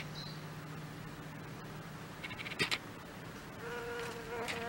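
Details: Leafcutter bees fly in leaf pieces at about one-minute intervals to furnish their nest under a flowering Rebutia cactus on a balcony breakfast table. A faint low hum and a few clicks give way to a louder, overtone-rich buzz as a bee arrives.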